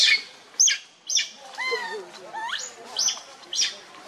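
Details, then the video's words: Baby monkey Lucie, hungry and crying for milk while foaming at the mouth: a run of short, high, sweeping squeals and rising harmonic wails, roughly every half second, over a faint background hiss. "Lucie Very Pitiful Need Milk Crying"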